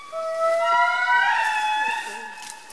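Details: A single indri tone swelling and rising in pitch into a louder wail, then fading, with faint human voices below.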